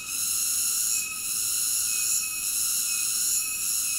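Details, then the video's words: Cicada singing: a steady, high, hissing buzz with layered shrill tones, swelling and dipping slightly about once a second, with no other sounds. "Cicada ASMR Sleep Nature Sounds"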